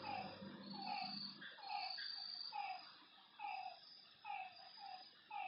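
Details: Lakeside frog at night giving repeated falling notes, roughly one per second, partly buried under a dense hiss of high insect-like buzzing and a low murmur that fades after the first second.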